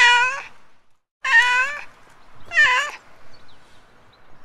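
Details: Three quick meows from a street cat in under four seconds, the second and third longer and more insistent, followed by faint murmuring background noise and the onset of another call.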